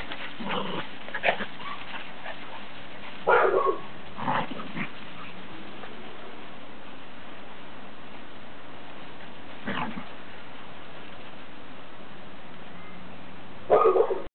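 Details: Three dogs at play: MacDougall the Scottish Terrier, Asher a Bichon/Poodle cross, and Fozzy a little foster Maltese cross. Short scattered yips and barks burst out near the start, middle and end over a steady background hiss.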